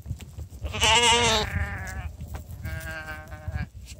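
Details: Sheep being called in for breakfast, with two young ones now staying overnight with the flock; a loud wavering bleat followed by a second lower bleat, a person calling softly beforehand.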